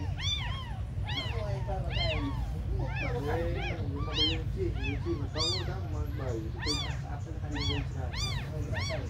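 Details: Several very small abandoned kittens crying together: a dense run of sharp, rising-then-falling mews from more than one voice, overlapping throughout, over a constant deep background hum.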